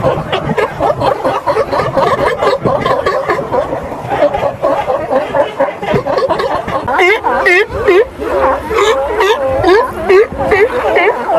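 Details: Sea lion. Several sea lions call at once, each giving rough, honking barks in quick runs. The calls overlap into a steady, clamorous chorus, with some voices rising and falling as they bray.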